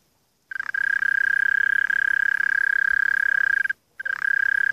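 A mole cricket gives a steady, purring trill on one low-pitched note, broken by a brief pause.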